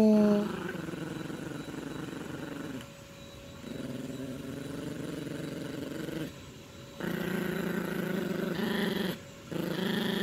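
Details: A female Yorkshire Terrier puppy growls in low, rumbling bursts that stop and restart between short pauses, while playing tug over a teddy-bear toy with her owner.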